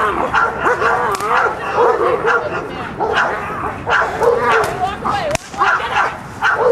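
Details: Mako, a working dog in protection training, keeps up rhythmic barks after the out, several per second in uneven runs, while praise and commands are spoken alongside.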